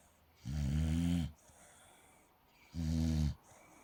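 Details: Sleeping pet dog Molly gives two long, low, buzzing snores with stacked harmonics, each near a second long and about two seconds apart, snorting like a pig over faint background hiss.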